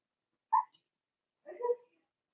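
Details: A 4-week-old Cavalier King Charles Spaniel puppy in Daisy's pen gives one short, sharp yelp, then after a pause a longer, wavering whimper that ends in a faint whine, in a quiet room.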